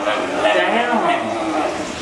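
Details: A female rescue Basenji, distracted by food on the dinner table, talks back with a drawn-out, warbling yodel bending up and down in pitch, ignoring a man who keeps repeating commands over it.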